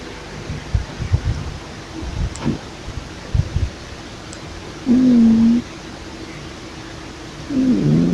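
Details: Pippa, a female pet cat, asleep and snoring at full blast: soft low rumbling breaths at first, then two loud, steady droning snores, the second wavering and falling in pitch.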